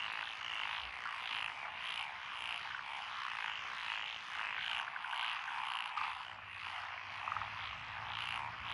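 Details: Frogs calling from lotus paddies along a rural road in Echizen City, Fukui Prefecture, 12 June 2021; a continuous mass of overlapping croaking voices, with a low steady hum joining near the end.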